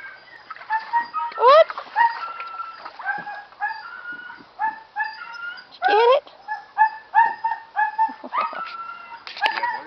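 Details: Husky mix dog giving a long run of high, wavering, yodel-like howls and whines, with quick rising slides and short broken phrases repeated over about ten seconds.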